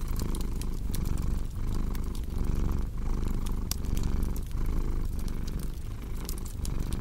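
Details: Purring cat by a cozy fireplace: a steady low rumble rising and dipping about once a second with each breath, while crisp crackles and pops of the fire flicker over it.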